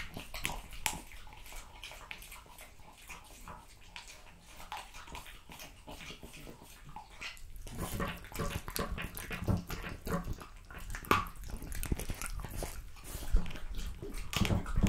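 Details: French Bulldog feeding on raw meat and quail: quiet licking and smacking at first, then louder sustained crunching of bone and wet chewing in an indoor room.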